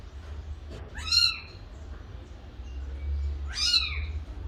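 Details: A young cat gives two thin, high mews, each briefly rising then falling, spaced roughly two and a half seconds apart against a low background hum.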